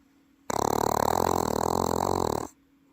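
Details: Welsh Corgi sleeping indoors in Paju, South Korea, lets out one sustained two-second snore, gravelly and rapidly pulsing, startlingly human-like, framed by silence before and after.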